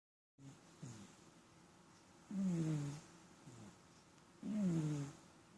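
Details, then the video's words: Domestic cat snoring, a habit it often shows; low, rough breaths with falling harmonic tones, a louder snore roughly every two seconds alternating with softer short breaths, quiet room background. "Кот храпит"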